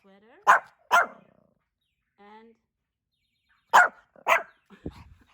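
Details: Two-year-old male Pomeranian Hendo, born 20 August 2021, barks on his birthday in two quick pairs of sharp yaps separated by a long pause, with faint speech heard in between.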